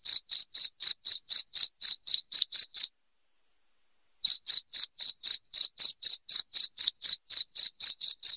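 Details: Loud cricket chirping for driving away rats: quick high-pitched pulses about four per second, broken by a silent gap of roughly one and a half seconds before the regular chirping starts again.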